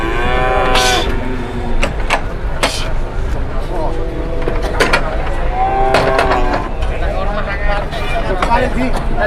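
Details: Livestock market scene with cattle, including a heavy cow that would not stand: repeated deep moos, some long and wavering, others short, over sharp clatters, knocks and crowd hubbub.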